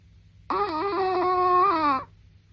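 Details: Sleeping Chihuahua giving one squeaky, whistling snore about one and a half seconds long, wavering slightly in pitch and then easing downward before stopping, with only faint room hush around it.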